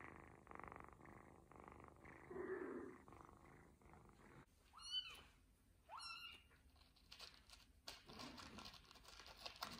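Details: Ginger kitten purring contentedly during a belly massage from its owners. A low, pulsing purr fills the first half, followed by a few brief higher squeaky sounds and quieter rustling.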